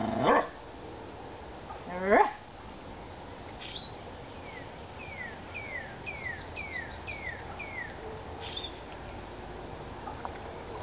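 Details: Two loud, rough barks about two seconds apart from whippets Chippy, Chase or Viola during play, then a quieter stretch where a string of thin, falling bird chirps repeats over low steady background noise.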